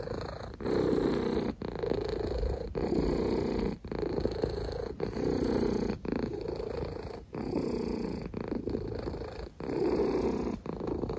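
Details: Pet cat purring continuously for over ten seconds, a throaty vibrating rumble broken by short gaps roughly every one to two seconds as it breathes in and out.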